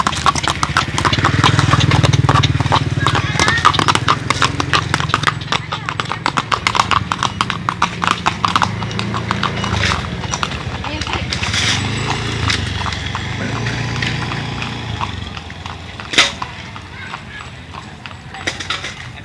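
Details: Horse, a kuda renggong, led out for a walk to the Ciborelang field to loosen its stiff body; rapid, fairly steady clip-clop of hooves throughout, with people talking nearby.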